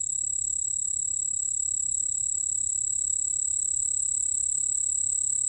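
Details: Sustained high ringing song of the white-whiskered bell cricket, from the National Institute of Biological Resources, 2020; a bright steady tone with a fainter lower companion band, no gaps, soft hum underneath.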